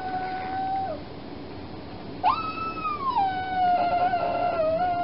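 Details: After her spay surgery, a foster puppy keeps up a steady, drawn-out whine, a thin held note that breaks off, then rises sharply into a longer wavering cry that slowly sinks, over low background hum.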